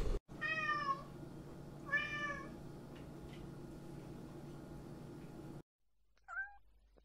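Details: Pet cat meowing twice in quick succession, short bright calls with rich harmonics, followed by a long quiet stretch with low room hum and a faint brief meow near the end.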